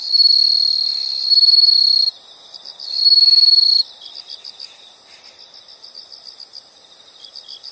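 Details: Loud high insect trills from a nature sound recording, two sustained buzzing bursts followed by a long stretch of softer, evenly spaced rapid chirp pulses, with a faint background chorus throughout.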